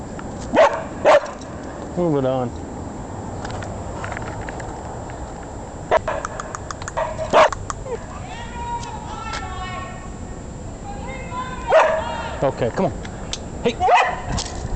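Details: Kirby the dog, out walking in Chicago and chasing a squirrel, gives short sharp barks in scattered bursts, some in quick pairs, while a man talks and calls to him over urban background noise.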